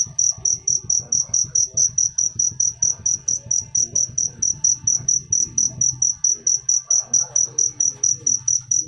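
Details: Steady high-pitched cricket chirps, evenly spaced pulses about two per second throughout, over soft low background rumble and faint scattered sounds.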